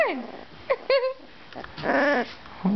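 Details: Two-week-old Dalmatian puppy indoors finding its voice, giving a short high yip and then a longer wavering, whine-like bark with stacked overtones, while a person talks softly nearby.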